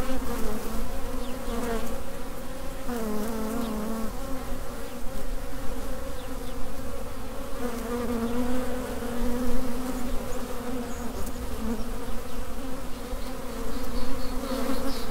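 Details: Droning of a honey bee swarm, the mass of workers humming together. The tone is steady, with a slight wobble in pitch and small surges in loudness over a low rumbling background.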